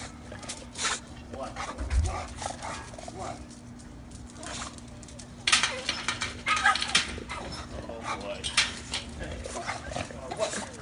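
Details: A female Bulldog puppy, excited during play, makes rapid, squeaky, gobbling yips and snorts in bursts, oddly turkey-like, with a low hum and faint voices behind.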